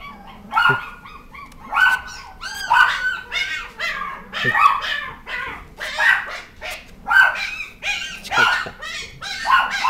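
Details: Beagle giving a steady run of loud, ringing bays and yelping barks, roughly one each second, some with rising, wavering yip tones and short whimpering notes between them.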